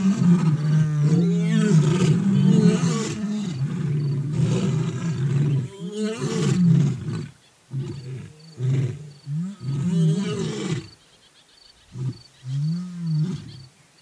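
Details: An old and a young lion roar in loud, sustained, rumbling bouts, deep and throaty with overlapping growls, then breaking into shorter moaning grunts separated by brief silences.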